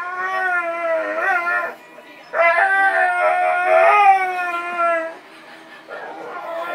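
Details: Pet dog singing, giving two long drawn-out howls with rich harmonics and a wobbling, quavering pitch, separated by a short pause, followed by a softer trailing note.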